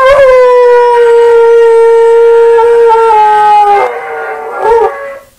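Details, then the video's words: Buster, a dog, howls at himself again, one loud sustained howl lasting almost four seconds on a steady pitch, then dipping into a brief wavering tail before fading out. "Buster Howls at Himself Again"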